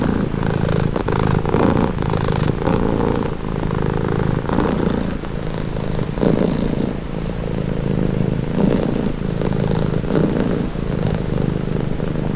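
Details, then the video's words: Domestic cat purring steadily, a low continuous rumble with a soft rhythmic pulse of inhale and exhale cycles, offered as a calming, relaxing sound; faint higher rustles now and then. "Purring cat"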